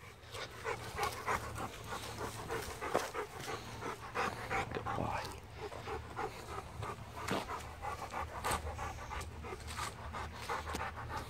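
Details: Pet Rottweiler on a daily walk in a field, panting fast and steadily, about three breaths a second in soft, breathy bursts, with faint outdoor rustle and footsteps behind.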